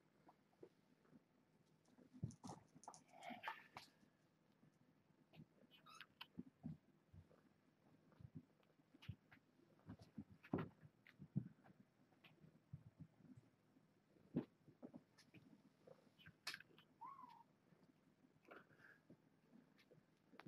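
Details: Foster kittens with their mother cat Alice, indoors during a morning box check while the kittens play and get cuddles; a few faint, high, bending mews rise over steady rustling, scratching and handling noises.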